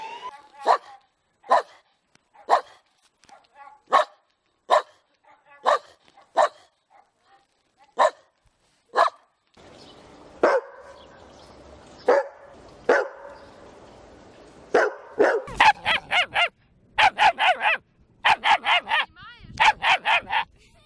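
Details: Steady series of short, clipped dog barks roughly every half second, then a noisier stretch with scattered barks, closing with quick rapid-fire yapping in tight bursts; part of a compilation of cute, funny dog barks.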